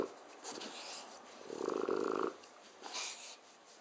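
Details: A 7-year-old French Bulldog snores with a rattling, throaty rasp that swells to a buzzy peak, then fades.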